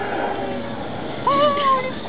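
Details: A 10-month-old South American sea lion pup at a zoo in Edogawa, Japan, gives a single bleating, tonal, almost meow-like call over murmuring voices.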